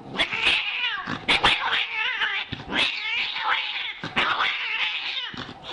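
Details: Domestic cats in a compilation yowl in harsh, wavering, overlapping caterwauls mixed with bursts of scuffling and hissing noise throughout.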